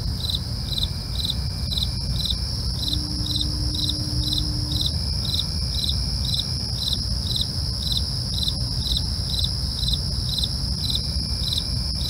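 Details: Steady nocturnal cricket chirping, short pulses evenly spaced about two per second throughout, with a continuous piercing insect drone overhead, occasional faint tones and a low rumbling backdrop.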